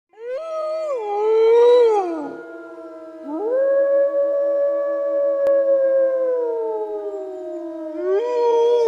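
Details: Wolf. Drawn-out wolf howls rise to a sustained, pure-toned note and slowly sink again, with a brief wavering break between them. A second steady, lower tone runs underneath, like another voice howling along.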